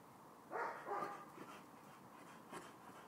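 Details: A Chow Chow barks at the dog next door: a few short, gruff barks, two strong ones followed by softer, spaced yaps.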